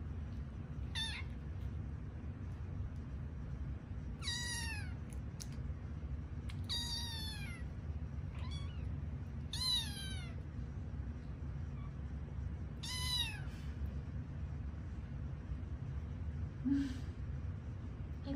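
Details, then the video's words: Five sleepy kittens found in an office building, yawning and stretching at bedtime, utter a series of high, thin, downward-curving mews, about six calls spaced every two to three seconds, over low background hum. "Sleepy Kitten Stretches, Meows, and Yawns"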